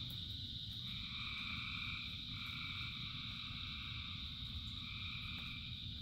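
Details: Frogs calling in rain, thousands together, forming an unbroken droning chorus of stacked high trills that swell and drop out in short blocks, backed by heavy low-pitched rain noise.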